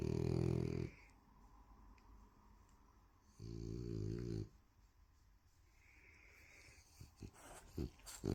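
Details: Female French Bulldog snores with deep, rattling, buzzy breaths about three seconds apart.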